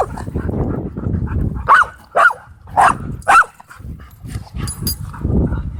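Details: Playing dogs at a dog park: low growling rumbles under four sharp, high yelping barks spaced about half a second apart, then growling again.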